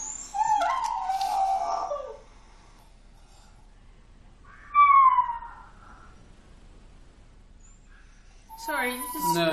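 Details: Max, a dog left alone at home and filmed by hidden camera, gives drawn-out tonal howls: a wavering note lasting over a second, then a brief falling cry, then another rising wail, separated by silent pauses.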